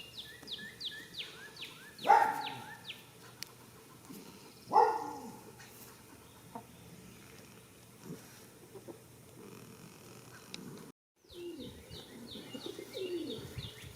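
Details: Sleeping goat in a field on spring's first day, snoring in two strong, throaty bursts roughly three seconds apart, then softer breathing, while small birds chirp in quick falling notes at the start and end.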